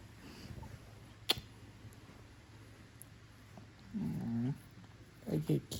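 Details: Pet cat indoors, having come over after loud snoring woke it, gives two short, low, harmonic meows close together near the end in a quiet small room, after a sharp click and soft rustling.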